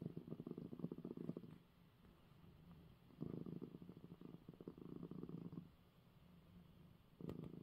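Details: A male domestic cat purrs in low, steady rumbling bursts separated by short quiet breaths, after receiving his eye medicine.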